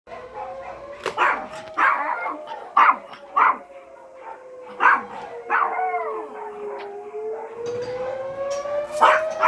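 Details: Yorkshire terriers howling at an alarm: a steady, slowly wavering siren tone runs throughout while the dogs give bursts of sharp yaps and short wailing, bending cries, loudest near the start and end.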